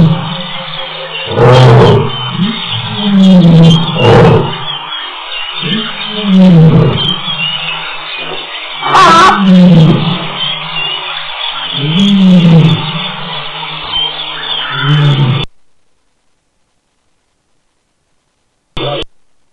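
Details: A lioness in Tembe calls with deep, moaning grunts in a loose series, low and throaty, repeated every couple of seconds, and gets return calls.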